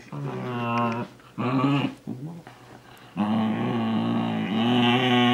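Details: Almost two-year-old male Shiba Inu chasing socks indoors, complaining loudly. Sustained, throaty yowling whines with a wobbling pitch, split into a long opening call, two short bursts, then a long drawn-out moan that swells at the end.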